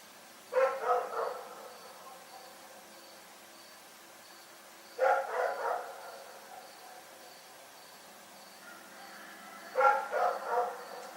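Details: Dog Rex barking through the night: three clusters of about three quick, clipped barks each, arriving roughly every five seconds against a calm, low-noise background.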